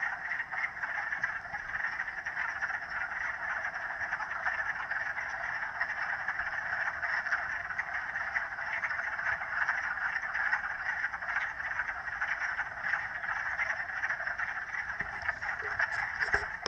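A dense chorus of frogs calling together in a steady, unbroken trill.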